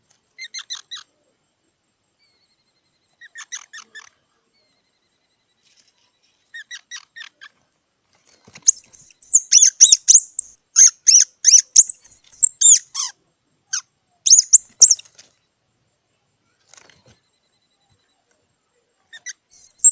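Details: Squirrel calling: short bursts of thin, high squeaky chirps separated by pauses, then a dense run of sharp, very high chips and whistled squeaks, tapering back to brief squeaky bursts against a quiet background.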